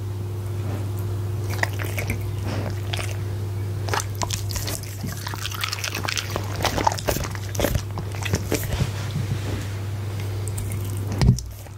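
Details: Goldendoodle named Punte at dinner, chewing steak and eggs close to a Blue Yeti microphone: long run of moist crunching and smacking bites, uneven and dense, with a constant low hum beneath and a louder clunk near the end.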